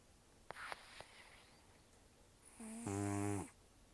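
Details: Sleeping rescued cat Tarō, an estimated 10 to 14 years old and nearly toothless, gives one loud rough snore near the end, a rasping buzz swelling for under a second after faint nasal clicks and quiet room air.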